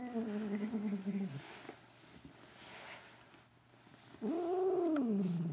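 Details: Cat making strange sounds while having her ears rubbed: a low, drawn-out moaning meow falling in pitch, a quiet stretch with faint rustling, then another rising-and-falling low moan.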